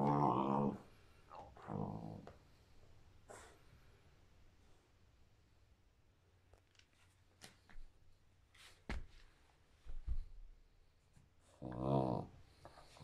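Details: Shepherd Rottweiler mix dog playing indoors on 17 May 2021, giving low, rough, droning growls in short bursts at the start and again near the end, with quiet rustling and small knocks between.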